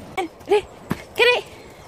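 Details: Puppies give three short, high yelping cries with bright harmonics, spaced about a third of a second apart, with a single soft knock between the second and third cry over a quiet background.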